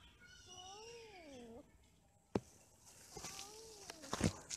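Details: Domestic cats during mating and quarrelling, one long wavering yowl that dips and swells, followed by sharp knocks and clatter, then a shorter falling cry amid bursts of rustling noise.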